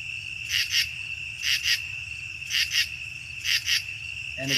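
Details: A common true katydid in the Chicago region, a mainly nocturnal singer, gives harsh, buzzy rasps in pairs, repeated about once a second.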